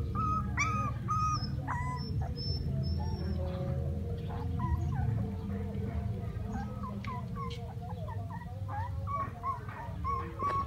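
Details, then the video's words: Puppies at play, crying: a few clear rising-falling whines open the stretch, then many short overlapping squeaks and whimpers from several pups over a continuous low hum. "Puppies playing and crying"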